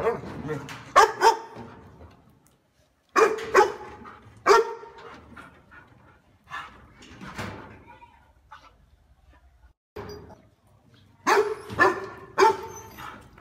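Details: A loud, warm-voiced dog barking as a house guard. Clusters of two or three forceful barks come with quiet gaps between them, and the calls grow into a close run of barks near the end.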